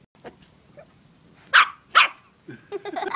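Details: Pet dog barking at a stuffed toy dog: two sharp, loud barks half a second apart in the middle, with fainter rustling before and a burst of mixed, broken sounds at the end.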